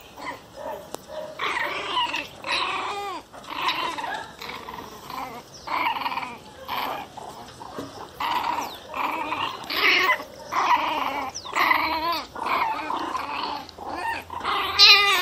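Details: Young pinscher, possibly about one month old, giving shrill, angry growl-barks in rapid, repeated bursts.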